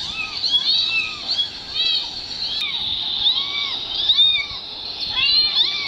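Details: Meows of a mother cat's two kittens played from a mobile phone that she runs to watch: clear, arching mews with bright overtones, several overlapping, repeating about every half second, over a faint background hiss.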